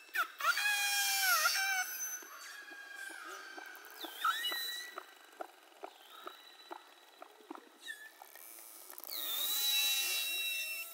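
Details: Beluga whales, recorded underwater for research on whether human-made noise disrupts mother-calf communication: squealing whistles that bend up and down with rich harmonics, a run of sharp clicks through the middle, then a burst of bright whistles at the end.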